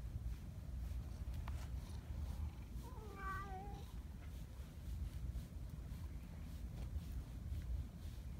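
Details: Donchan, a large black community cat described as a boss cat, lets out one brief quavering meow in the middle, surrounded by low rumbling background noise and faint clicks.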